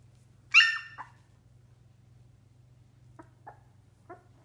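A Cardigan Welsh Corgi puppy gives one sharp, high yelp, then a few faint short whimpers.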